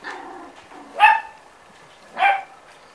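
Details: Six-week-old Corgi puppies from a litter, one giving two short, high yipping barks about a second apart, each sharp and ringing, with a soft murmur of a voice beforehand.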